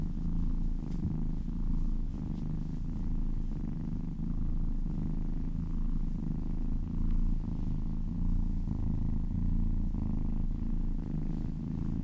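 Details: Happy cat purring while massaged, a loud, dense, continuous low rumble with slow breathing cycles and faint brushing sounds over it.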